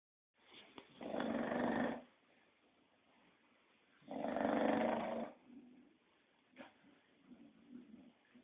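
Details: English Bulldog snoring, two long raspy rattling breaths about three seconds apart, each around a second long, then softer snuffling sounds at the end.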